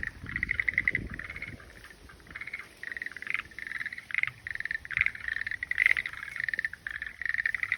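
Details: Steady chorus of frogs giving trilled, pulsed croaks in close overlapping bursts, with little else audible beyond faint low rumbling early on.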